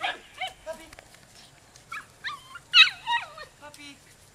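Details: Twelve-week-old rescue puppies, possibly Beagle and Blue Heeler/Cattle dog mixes, give a run of high, squeaky whines and yelps that bend up and down, coming in short bursts with brief pauses between them.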